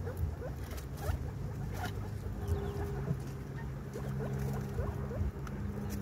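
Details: Guinea pig mother during the birth of her baby. Brief upward-sweeping squeaks and quick chirps come in loose clusters above a constant low hum. A thin steady tone appears midway.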